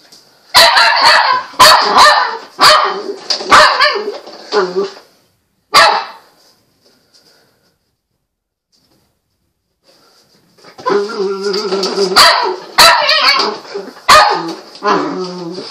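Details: Patterdale Terrier puppy named Murphy barking while playing with a spring door stop indoors: loud, rough barks in quick bursts, roughly one per second, then several seconds of silence before a fresh run of yappy barks with sharp clicks.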